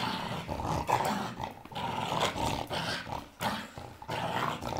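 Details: Blue-coated Staffordshire Bull Terrier at play with its toy, rumbling growls swelling and fading in a steady, gritty stream, punctuated by short quiet breaks and thumping, rustling noises.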